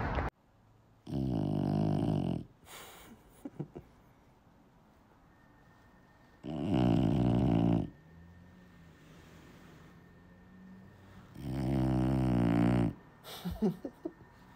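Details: French Bulldog snoring indoors: three loud, rough, low snorting bursts about five seconds apart, each lasting one to two seconds, with quiet breathing and faint clicks between them.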